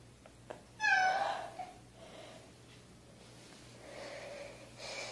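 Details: A kitten gives one short, bright meow that bends upward then drops, followed by softer, fainter mewing sounds against a quiet indoor hum.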